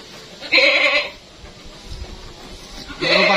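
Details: Large Etawah crossbred goat named Mondy at Lek Men Farm, Indonesia, giving two loud nasal bleats, one near the start and another at the end, with a quiet gap between them and faint background noise.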